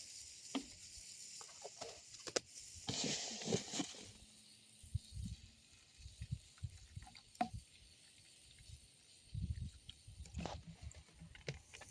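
Rustling, soft thumps and handling noises over a steady outdoor hiss, with no clear animal calls.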